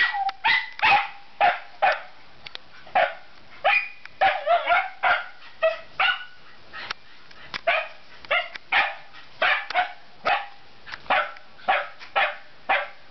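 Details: Two Scottish Terriers barking in a steady series of short, sharp, fairly high barks, roughly two per second, with a brief overlapping flurry around the middle and no other sounds standing out.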